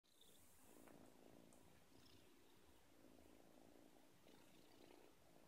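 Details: Lena, a young Russian Blue cat, purring softly: a low, steady rumble broken into breath cycles about a second long, with faint rustling throughout.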